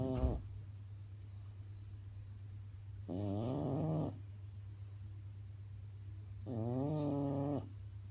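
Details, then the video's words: A French bulldog snores in its sleep, long wavering harmonic snores about every three and a half seconds, rising and falling in pitch, above a constant low electrical hum. "french bulldog snoring"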